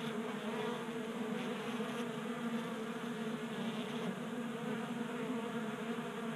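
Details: Many honey bees feeding at a 3D printed tabletop feeder in a Colorado garage during a warm January spell, a steady layered drone of wingbeats with a low hum and overtones, constant and even throughout.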